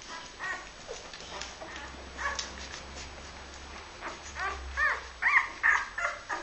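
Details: Several Labrador Retriever puppies from a litter born 23 February 2012 give sparse, thin whines at first, then louder arched yelps and squeals in quick succession toward the end, over a quiet low hum.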